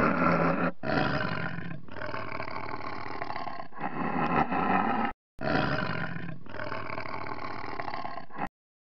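Deep, throaty roars come from a tiger in a run of harsh, rumbling bursts lasting roughly a second each. Brief pauses break the sequence, and two short silences fall near the end.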